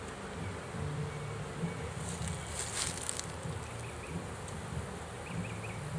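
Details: Honey bee swarm caught in a swarm trap, with bees being pulled out of it: a dense, steady low hum with a rough, grainy texture continues throughout, and faint short chirps sound in the background.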